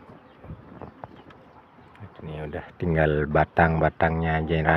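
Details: Hungry goat at feeding time on a beginner's goat farm, its fodder stripped to twigs. Rustling and a man's voice give way to a rapid run of four loud, wavering, nasal bleats with brief gaps between them.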